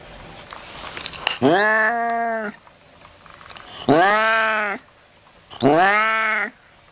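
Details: Domestic cat meowing three times in about seven seconds, each meow a sustained, steady, harmonic call lasting close to a second, set against a quiet background; used to frighten rats away.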